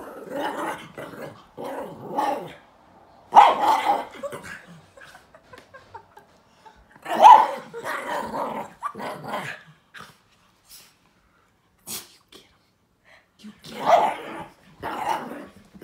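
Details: Joey, a small chihuahua and silky-haired terrier mix, growling at his owl stuffed toy on the carpet while playing; rough growl bursts and short barks come in clusters separated by quiet gaps, with scuffling between them.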